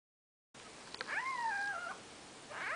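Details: Four-day-old Maine Coon kittens with their mother, indoors: one long, wavering, tonal mew that rises, holds, then slides down, followed by the start of a second high cry.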